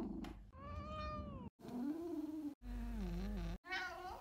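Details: Domestic cat, rescued after being found abandoned in a Russian monastery and now living in Vienna, gives a series of short meows and odd little noises: a clear falling tonal meow, then lower wavering calls and a brief chirpy squeak.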